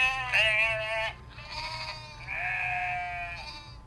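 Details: Sheep on a farm giving three drawn-out, quavering bleats, each lasting around a second, the first loudest and the later ones softer and slightly lower, with a faint low hum underneath.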